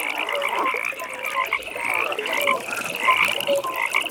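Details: Frogs at a pond in the evening fill the air with a steady high beaded trill, interrupted by short lower croaks and brief rising notes from other callers nearby.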